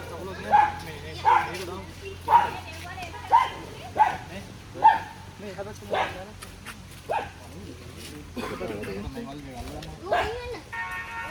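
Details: Dogs in a pack attacking a grown barking deer give six sharp barks at an even pace, about one a second, before the barking stops and men's voices take over.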